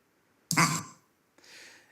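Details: Male monkey's eagle alarm call, 'hok', from a played-back recording. One brief, low, throaty grunt-like note with layered overtones, then a faint hiss of background noise.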